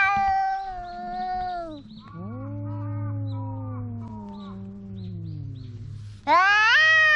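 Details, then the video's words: Cat wailing in long drawn meows: a steady howl falling away, then a low, droning moan lasting several seconds with a faint hum beneath, ending in a sudden loud rising meow. "The cat is making a big noise"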